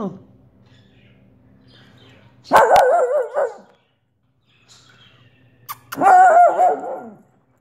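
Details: Two long, quavering barks from Olive, a Soft Coated Wheaten Terrier, roughly three seconds apart, each with a wobbling, sing-song pitch, over a low steady hum.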